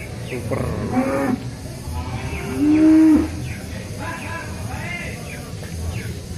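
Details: Limousin cattle at the Grabag cattle market on 25 April 2022; a loud drawn-out low moo near the middle, with shorter lowing calls around it, over market crowd noise, voices and background music.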